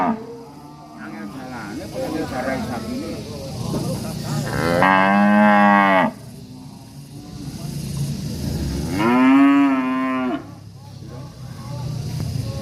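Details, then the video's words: Angry cattle in a village atmosphere: two loud, long bellowing moos about four seconds apart, each with a strong harmonic stack, amid quieter background murmurs. "SUARA SAPI NGAMUK LUCU DAN MERDU SUASANA DESA"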